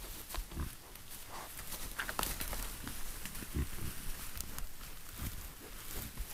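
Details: Young wild boars roaming in a group, heard as scattered low, short grunts among constant rustling, trampling and crackling noise.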